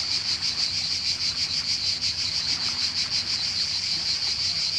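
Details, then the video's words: Croatian summer cicadas: a constant sharp, sizzling high drone with a gentle rhythmic throb, unbroken for the whole stretch, over a quiet low background rumble. "Cicada (Cicala) and wave sound in Croatia"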